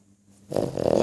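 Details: A pug's snore starting abruptly after near silence, a rough rattling inhalation that builds in loudness and is cut off after half a second.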